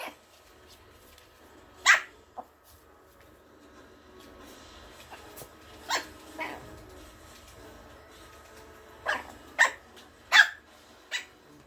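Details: A Malkie puppy picking a play fight with its older brother dog gives scattered short, high yaps, single and in quick pairs, separated by quiet stretches with soft scuffling.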